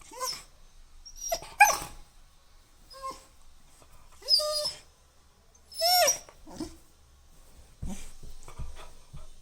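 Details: Labrador Retriever puppy indoors giving several short high whimpering yelps with rising and falling bends, spaced a second or two apart, with quiet pauses and faint low thumps between.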